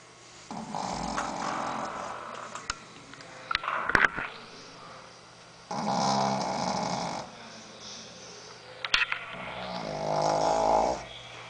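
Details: Sleeping female Shih Tzu named Sophia snores in three drawn-out, rough, droning breaths, each lasting one to two seconds and separated by quieter pauses, with scattered faint clicks.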